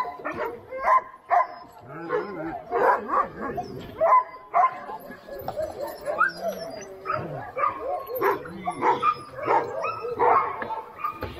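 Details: Alaskan Huskies, sled dogs at Snowhook Adventures in Willow, Alaska, keep up irregular overlapping barks and yips while people talk nearby.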